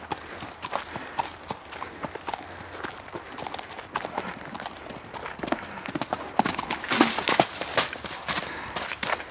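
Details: Mare let loose in a forest, moving about freely: quick, uneven clip-clop footfalls, roughly two or three per second, growing louder and denser toward the end, with rustling underfoot.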